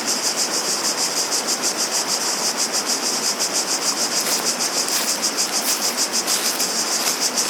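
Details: Cicadas sing a dense, high, hissing buzz that pulses steadily about three times a second, over a constant broad rush of flowing water.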